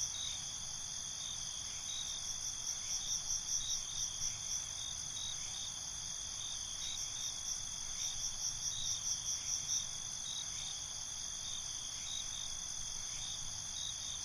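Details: Night-time cricket chorus recorded binaurally, with crickets calling back and forth. A constant high-pitched ringing drone carries clusters of quick pulsed chirps, heard loudest around two to five seconds and again near seven to ten seconds.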